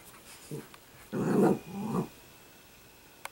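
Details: Italian greyhound puppy Sparkle, a household pet, makes a low, throaty growl from about 1.1 to 2 seconds, briefly easing and then rising again. A faint earlier grumble and a soft click at the end are also heard, all fairly quiet.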